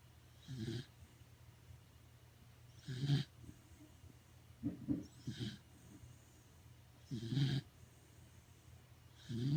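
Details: Sleeping pet Corgi at home giving loud snores: low, rough, rasping snorts with airy hiss on top, recurring roughly every two to three seconds, with a softer double snort midway; room otherwise quiet.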